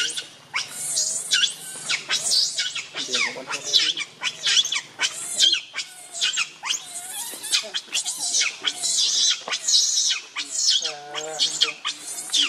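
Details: Baby monkey Leo, hungry and very angry, crying to beg its mother for milk: a steady run of shrill, harmonic screams and squeals, each call rising then falling and repeated about once a second with short gaps.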